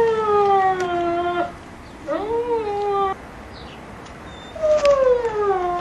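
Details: Kennel Vestigia Ares Giant Schnauzer puppies, dated 15 October 2009, utter three plaintive whines. Each starts higher and droops in pitch; one briefly rises before falling. Pauses of about a second separate them.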